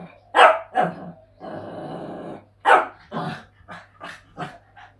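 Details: A Shih Tzu puppy trying to get its resting father to play gives sharp, high yapping barks and a rough, rumbling growl.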